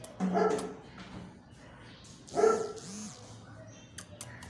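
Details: German Shepherd dog barking: two loud, harsh barks about two seconds apart, each with a rough, harmonic tone, followed by a short whine-like note, over quiet background noise.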